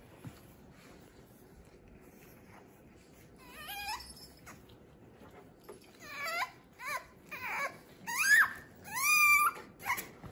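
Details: French Bulldog puppies from Fanya and Meena at play, making high, wavering whines and yelps, each a falling or bending cry, growing louder and more frequent toward the end against a quiet background.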